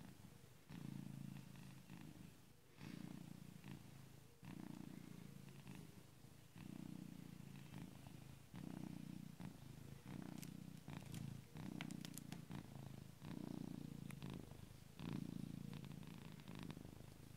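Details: Very loud purring from a sleeping pet cat, tractor-like: a deep rattling rumble repeating in about ten breath cycles, each a burst of a second or so separated by brief softer pauses, with scattered faint clicks.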